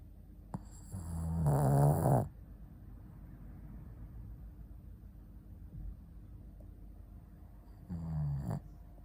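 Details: Ponta, a Shih Tzu dog, asleep and snoring: two low, rumbling harmonic snores, the first about a second long and loud, the second shorter after several seconds of quiet breathing indoors.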